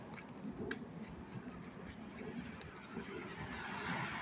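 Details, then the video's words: An August 19, 2025 chorus of crickets in Dobbs Ferry, NY, on a dry, warm but not hot day: a continuous shrill, high-pitched drone holds steady, with a broad rumble of distant traffic beneath it. "sounds of the crickets chirping"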